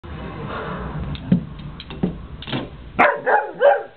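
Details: Puppy playing with its own reflection in a mirror, letting out soft scattered yips, then three quick, sharp barks close together at the end, over steady background music.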